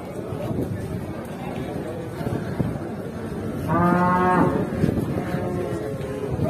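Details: Rampaging cattle that charged and butted its owner: one short, low, harmonic moo lasting under a second near the middle, over steady rumbling background noise and faint voices.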